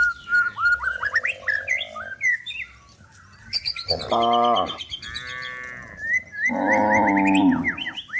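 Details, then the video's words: Cows in a forest, searching for food as they are driven toward the livestock pen, give three loud, harmonic moos of about half a second to a second each, with busy chirping and whistling birds throughout. "the sound of cows looking for food in the forest"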